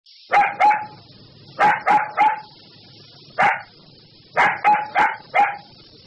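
A puppy gives high, sharp yappy barks in quick bursts of two to four.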